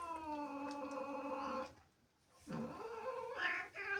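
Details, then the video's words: Angry female house cat, resentful of kittens in the house, holding a steady harmonic yowl, falling silent briefly, then resuming with a rising, strained wail and a harsh break near the end. "Angry cat makes incredible sounds"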